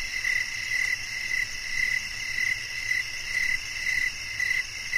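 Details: Cricket chirping for relaxation and sleep: an even train of brief bright chirps, about nine in five seconds, set against a constant high-pitched background chorus of insects.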